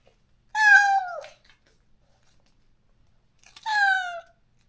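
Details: Stray cat in a countryside yard, crying daily for its companion after neutering separated them: two long, drawn-out meows, each slightly falling in pitch, with a quiet pause between and an otherwise silent background.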